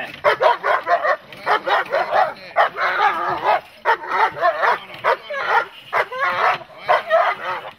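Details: A dog in protection training barks in rapid, harsh bursts, several per second almost without pause, while a handler's voice praises it in Czech in the background.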